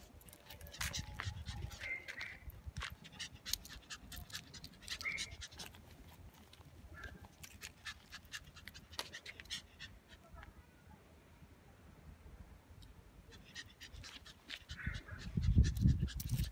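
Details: A small female Pomeranian puppy breathes in fast, rhythmic pants, several each second, with brief high-pitched whines and yips and clicks and low thumps of movement close by.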